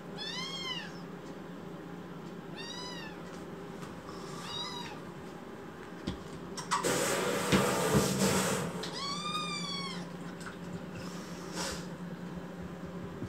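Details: Rescued kitten in foster care, angry and protesting, gives loud arched meows with rich harmonics, in short bursts around one, three, five and nine seconds, with a broadband rustling noise in the middle and a low indoor hum.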